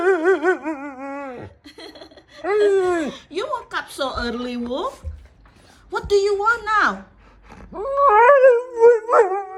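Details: A Siberian Husky named Wulf gives long, wavering, yodel-like howls and vocal 'talking' in several drawn-out phrases, rising and bending in pitch, indoors in a small room with a person speaking and laughing.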